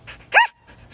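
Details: Samoyed responding after being told it is adopted: one short, loud, arching yelp rising then falling, followed by quiet soft sounds.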